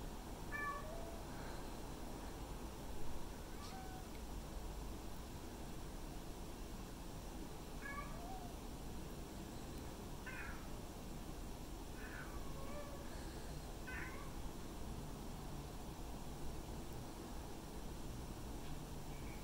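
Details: Two male domestic cats, one white and ginger and one black and white, give scattered faint meows, short rising-falling mews every few seconds, over a strong low steady hum and room noise.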